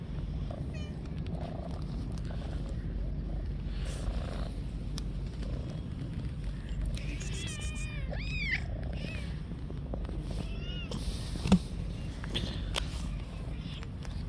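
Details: Street cats on a park bench await food; an early short mew, then a run of loud arched meows, each rising and falling, followed by a few quieter calls, with constant low traffic-like rumble and occasional clicks.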